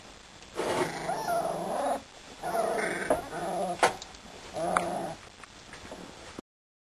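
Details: Playing Siberian Husky pups aged two and a half weeks give three drawn-out, wavering whining cries, each lasting about a second, separated by brief pauses and light rustling.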